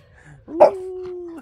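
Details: French bulldog in an argument with its owner over coffee lets out a brief sharp yap that slides straight into a steady, even-pitched whining howl held for nearly a second.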